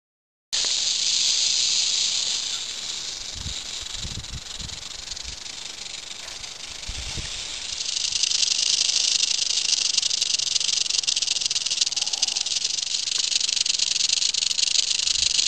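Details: Western diamondback rattlesnake rattling during a summer encounter, a steady, dense high-pitched buzz that holds without a break and grows louder and brighter about halfway through, with faint low rustling underneath.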